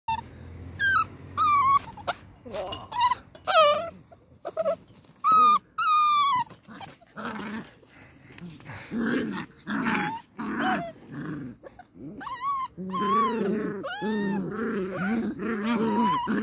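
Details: Beagle puppies playing outside in their enclosure: high, wavering whines and yelps trade with low playful growls in rapid bursts, a person speaking briefly in the background.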